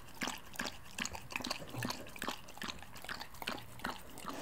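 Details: Close-miked Samoyed lapping up milk, its tongue making crisp, wet smacks roughly twice a second in an even rhythm, with a quiet room behind.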